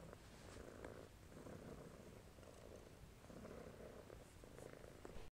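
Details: Domestic shorthair tomcat at an adoption shelter, evening of 9 March 2014, giving a soft even purr that rises and falls with each breath over about five seconds, recorded close up indoors.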